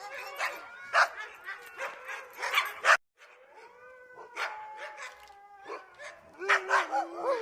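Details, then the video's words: Dog barking to express its feelings, with a quick run of sharp barks, a brief break, then drawn-out tonal whines and a few higher yelping barks at the end. "Dogs bark to express their feelings"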